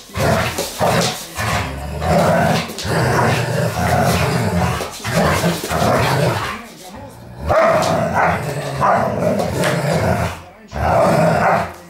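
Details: Several Dobermanns at play make deep, rasping growls and throaty roars that run for seconds at a time. Short breaks come near seven and ten seconds, and a few bark-like bursts are mixed in.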